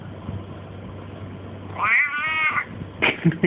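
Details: Domestic cat, Russian household, replying to its owner who keeps asking questions and prompting "quack"; after low background noise comes a long, wavering meow of nearly a second, then the owner's voice resumes.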